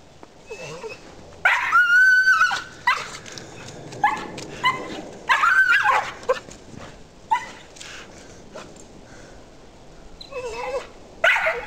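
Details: Pet dog up a tree in a backyard, known for climbing often and making monkey-like noises, lets out repeated squealing, quavering whines in loud bursts separated by pauses, while a person urges her on nearby.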